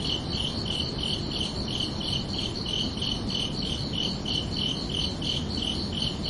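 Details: Evening cricket song at night: a regular, rapid series of sharp high chirps, nearly three per second throughout, above a soft, constant low-frequency hiss.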